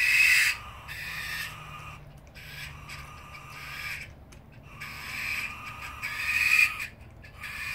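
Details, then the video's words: Two young common brushtail possum joeys screaming at each other: harsh, raspy screeches with energy high up, coming in bursts of a second or two, separated by short quieter gaps, against low background rumble. "Possum Screamfest"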